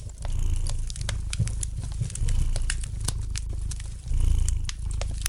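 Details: Relaxed domestic cat purring by the fireplace: deep rhythmic rumbles come in waves, with a louder swell each time the cat breathes in, roughly every two seconds, while light crackling of the fire pops throughout.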